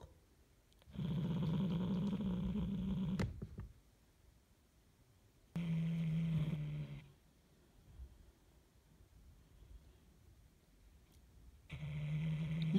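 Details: Hulusi the pet cat growls while guarding its toy indoors: three separate low, rumbling growls, the first about two seconds long and the later two shorter, with quiet pauses between them.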